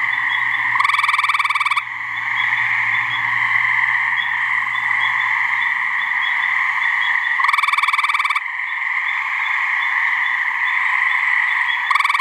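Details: Swamp in New Hampshire, where a couple of gray treefrogs (Hyla versicolor) give mating calls. Roughly one-second bursts of fast, rattling pulsed trill repeat about every six to seven seconds against a steady background frog chorus.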